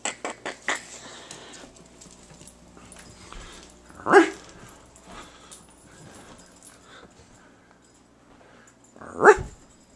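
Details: Single barks from Shasta, an almost seven-year-old female rescue dog, sound twice roughly five seconds apart. Each is a brief harmonic yelp. Soft clicks and taps open the stretch, with low background noise between.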